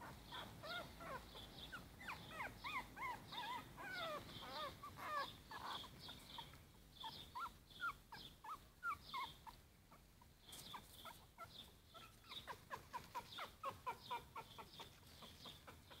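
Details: Four-week-old Yorkshire Terrier puppies give a dense run of high, wavering whimpers and squeals in the first half, then shorter, sharper yips repeated quickly toward the end.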